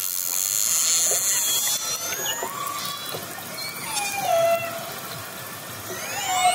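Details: Underwater recording of orcas closing in on a fishing boat: scattered drawn-out tonal calls, some falling, others rising, over a constant watery hiss.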